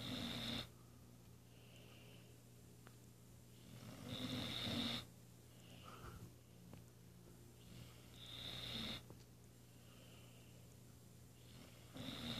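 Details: A female Weimaraner, napping after a morning workout, snores in slow, rasping breaths, each lasting about a second, with quiet pauses between.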